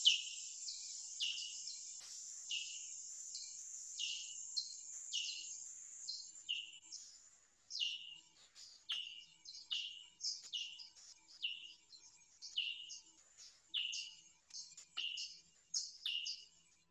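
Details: Big brown and little brown bats echolocating in Alberta, recorded with a bat detector that lowers the calls to an audible range as rapid downward-sweeping chirps; little browns call at a higher frequency than big browns.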